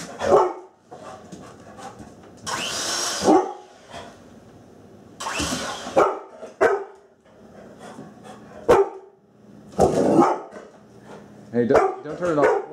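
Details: In a kitchen, a female Labrador Retriever acts tough but is actually scared of an object, giving short, gruff barks in scattered bursts while people talk between them.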